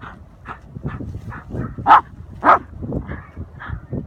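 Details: Young Patterdale terriers hunting an armadillo in a hole, a 10-week-old puppy among them; irregular, scattered yips and barks, two louder than the rest, over rustling and digging noise.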